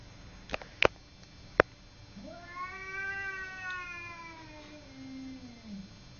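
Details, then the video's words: Simba, a pet cat, fighting with a neighbour cat: a few sharp knocks early on, then one long drawn-out yowl that rises, wavers for about three and a half seconds and sinks away at the end. "Simba fighting with neighbour cat"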